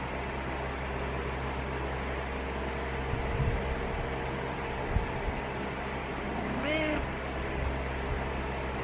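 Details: ['Indoors with a constant background hum, Butters the cat gives a single brief meow late in the stretch, urging the owner to wake up in the morning; a faint soft noise comes earlier.']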